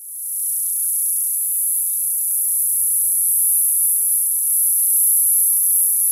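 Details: Summer cicada giving a thin, very high, steady ringing whine with almost no variation, rising in at the start and holding to the end over quiet background.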